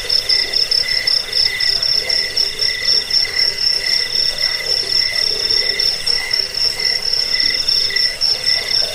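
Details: Chorus of crickets used as a rat-repelling lullaby and for training cage birds: continuous high, rapidly pulsed chirping in stacked layers, a piercing top line beating several times per second over quieter trilling.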